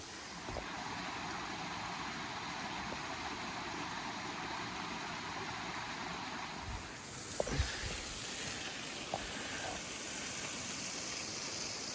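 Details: Steady broadband rumble like a running vehicle or wind fills the scene in the Kenyan bush, with a few brief knocks and no animal calls.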